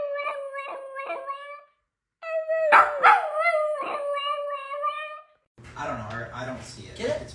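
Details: Dramatic puppy giving drawn-out, wavering howls in two bursts, the second rising and breaking into yelps, followed by overlapping human speech.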